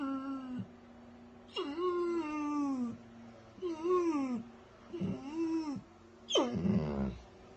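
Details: Weimaraner dog crying in five plaintive, tonal wails, each starting higher and sagging downward before cutting off, the last one harsher and more strained.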